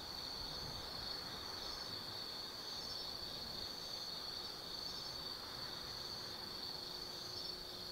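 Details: Insects singing on an autumn night in forest at Tsukimi no Mori, Kaizu, Gifu, Japan: a constant high-pitched trill with rhythmic pulsing phrases layered on top, plus a faint steady low tone from distant traffic or machinery.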